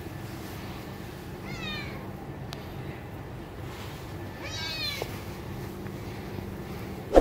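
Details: Domestic cat meowing for its mother's touch: two clear, drawn-out meows about three seconds apart, each bending up then down with rich harmonics, over a quiet indoor background with a sharp click at the end.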